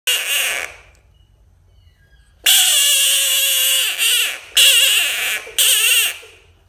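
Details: Frog screaming: a short harsh burst, a pause, then a loud, raspy, wavering scream held about one and a half seconds, followed by two more long shrill bursts with brief gaps between them.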